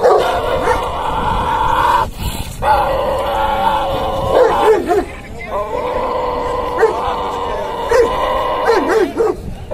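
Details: Aggressive Dogo Argentino voicing long, steady, tonal growl-whines, broken by brief pauses and a few short rising-falling yelps near the end, while a person urges it on with "come on".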